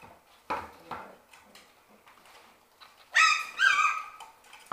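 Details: Six-week-old Shetland Sheepdog puppies from one litter playing in their indoor play room; two high, harmonic yelps come close together near the end, after soft thumps and light scuffling from the play.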